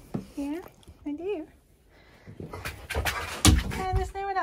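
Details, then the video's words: Male husky indoors, caught on hidden camera, crying with joy as his owner nears home: wavering, whiny howl-like cries that rise and fall in short bursts, mixed with a person talking and panting or snuffling sounds. "Husky CRIES With JOY When He Realises I’m Almost Home!"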